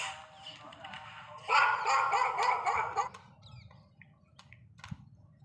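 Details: Labrador Retriever letting out one long, strained bark-whine lasting over a second, then near quiet with faint clicks and low background hum.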